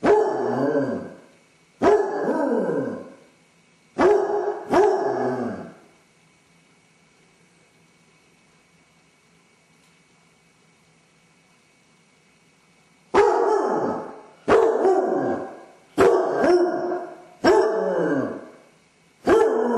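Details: Lone Basset Hound with separation anxiety howling and whining; a burst of four short baying barks, a silent gap of about seven seconds, then a faster run of six descending bays.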